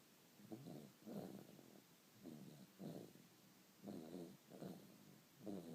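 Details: Dog asleep and snoring: rough, rattling breaths come in uneven pairs about every second and a half, low and throaty, over a quiet room.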